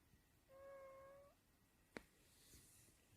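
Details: Snoring sleeping cat: one flat, whistling tone lasting nearly a second, followed by a short sharp click and soft room noise.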